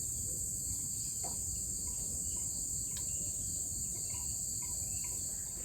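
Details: Crickets at almost sunset around a bamboo-house homestay in Nusa Penida near Bali, Indonesia: a steady, unbroken, very high shrill ringing drone fills the whole stretch, over a soft low rumble and a few faint scattered clicks.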